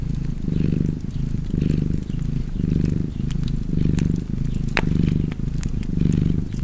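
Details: A cat's low, rumbling purr swells and fades in even breath cycles about once a second, while a crackling fire snaps sharply in the background.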